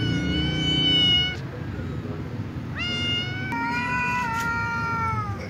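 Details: Ginger tom cat meowing because it likes a white female cat: long, drawn-out, tonal meows, a first one over a second long, then a short rising cry and a sustained wavering yowl, over low rumbling background noise.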